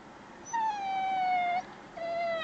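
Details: Crying Alaskan Malamute puppy aged 8 weeks, giving a drawn-out, clear whine of about one second that slowly falls in pitch, a short pause, then a second, softer falling whine.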